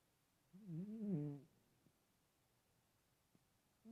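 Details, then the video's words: Sleeping chubby cat gives a single nasal, rising-and-falling snore of about one second, then quiet breathing and the start of the next snore. "Snoring chonk"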